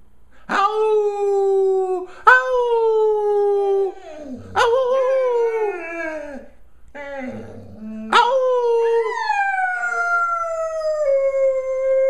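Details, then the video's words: Golden retriever howling indoors after being asked where mommy is: a series of long, clear, tonal howls, each starting with a sharp upward onset and then sliding slowly downward, separated by brief pauses and soft whimpering grunts. "Golden Howl"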